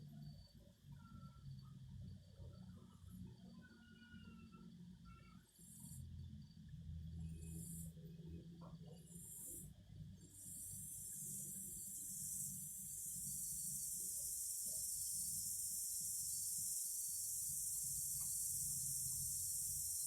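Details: Cicadas singing: a few short high pulses at first, then a steady, shrill, continuous buzz that swells and holds through the second half, over low rumbling background noise.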